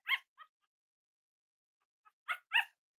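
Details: Young Cavalier King Charles Spaniel puppies, around ten days old, during early potty training beside their mother: a pair of brief, high, harmonic yelps, a quiet gap, then two more short yelps close together.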